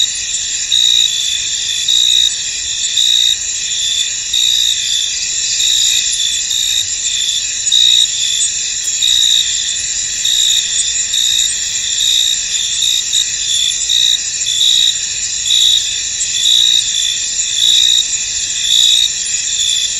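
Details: Crickets in a misty field: a dense, steady high-pitched trilling chorus with several stacked layers and a brighter pulsing tone repeating through it, no other clear sounds.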